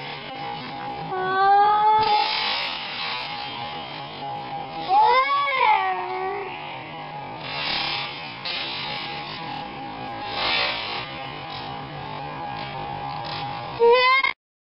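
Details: Whales calling through heavy electronic interference: harmonic, sweeping calls that rise and fall near the start, in the middle and at the end, over a steady tone and broad electrical hiss.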